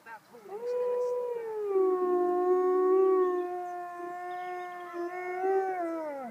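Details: Female wolf named Yana howling while out walking in Bedfordshire, England, calling to her sister that she was okay; a single long, smooth harmonic howl that rises, holds level, dips and swells again before falling at the end, with a person speaking softly.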